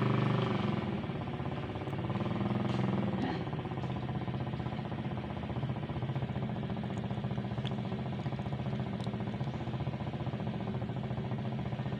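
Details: Low rumbling vehicle engine idles steadily, with faint voices and a few clicks; no animal calls stand out.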